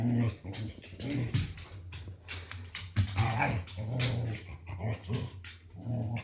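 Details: A Samoyed, one and a half years old, growls while playing indoors. The low, rumbling growls come in uneven pulsing bursts throughout, broken by short pauses. Sharp clicks and rustling sounds accompany them.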